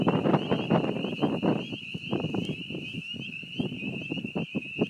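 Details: Beaver pond in spring with a strong, unbroken chorus of high spring peeper peeps, overlaid by rapid, loud low thumps and rustling close to the microphone.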